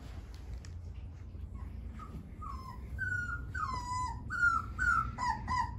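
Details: Whining from Dogo Argentino puppies three weeks old starts faint, then grows into a loud, closely spaced series of high, bending squeals, roughly two per second, in a small indoor space.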